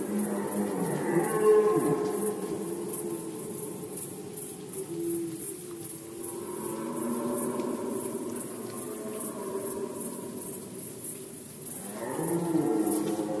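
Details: Red deer roaring during the rut season in Poland, 2020: long, deep, harmonic moaning roars that overlap and sustain, with rougher bursts around the first second and near the end, over a steady high hiss.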